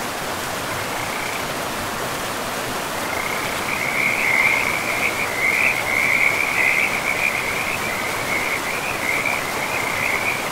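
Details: Frogs beside a river deep in a pristine forest, a high rattling trill starting briefly, then running almost continuously in rapid pulses over a steady rushing river.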